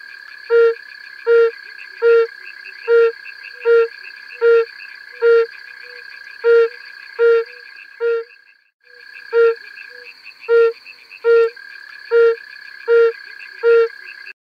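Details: Calling yellow-bellied toads recorded on Bohor, August 2020, give a regular series of brief, soft, hollow hoots, roughly one every 0.8 seconds, with a brief pause midway, against a continuous high buzzing drone.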